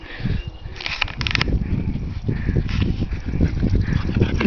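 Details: French Bulldog Peggy having a happy play session before the day warms up; low, rapid, irregular snorting grunts and puffs, with brief scuffling bursts in between.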